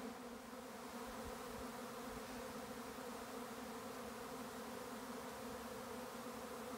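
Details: A honey bee swarm on a regenerative farm in County Kilkenny, Ireland, fills the air with a steady, dense, low droning hum.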